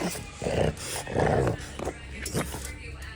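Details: Charlie, a French Bulldog puppy on Sentosa Island, Singapore, is told to speak and answers with two gruff, growly vocal bursts, then shorter softer grunts, over a steady low background hum.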